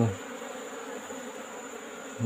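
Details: Afternoon recording of a wild Asian honey bee (Apis cerana) colony nesting in a hole in rock during its removal. A continuous, even droning buzz fills the brief moment, with louder low thumps at the start and end.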